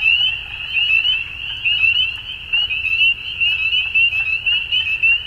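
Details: Frogs calling at dusk: a dense chorus of high, rapid, trilling notes merging into a steady shrill band, swelling and fading in loudness roughly once a second, with faint lower background noise.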